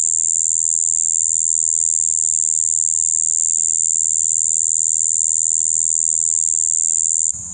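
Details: Shibuiro kayakiri katydid, overwintered adult in its spring breeding season, 2 April 2023, sustaining a flat, monotonous high buzz "bii" without pause, ending abruptly with a brief handling noise at the very end.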